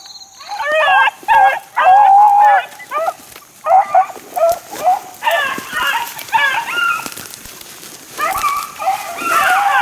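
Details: Young Beagle pups about four months old, out in the wild during hunting work, giving high, wavering yelps and drawn-out bays in quick overlapping bursts, several voices calling together with short gaps between them.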